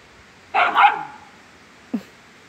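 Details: Great Pyrenees puppy giving one short, hoarse double bark, followed after a second of quiet by a faint brief yip, with low background hiss.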